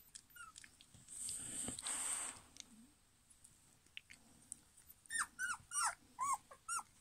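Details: German Pinscher puppies from litter D, 2022: a burst of hissing rustle early on, then five short high whimpering yelps near the end, each bending up then down, roughly two per second.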